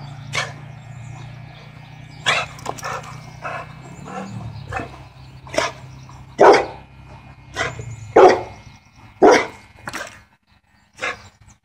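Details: Bo, a full-blood silver sapphire blue pit bull, barks in sharp separate woofs, about ten over the stretch and spaced roughly a second apart, some louder and harsher, with a faint low hum underneath.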